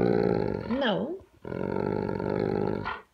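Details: Talking dog vocalizing indoors because it wants breakfast: a drawn-out, moaning howl with a wobbling, up-and-down pitch, then a longer, steady, groaning note, ending in a short sharp sound.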